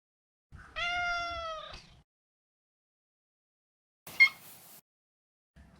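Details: Neutered male Maine Coon giving one clear, steady meow over a second long, followed by a sharp, raspy chirp-like mew a few seconds later.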